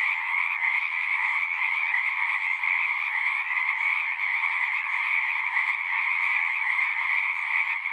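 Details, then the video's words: Frogs in large numbers call at once, a constant buzzing trill whose two pitch bands hold steady with slight pulsing in volume, nothing else heard. "One hour of singing frogs."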